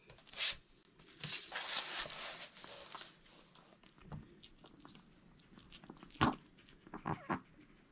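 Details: Male Maltese dog indoors eating a whole sweet potato, recorded unedited for ASMR. Quiet, scattered crunchy bites and chewing noises come in irregular bursts, with a few sharper crunches near the end.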